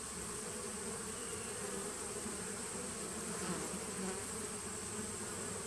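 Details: Bees of a nuc colony started in 2017, heard on 19 September 2018, make an even, layered buzz with a deep low hum and faint wavering tones in the middle.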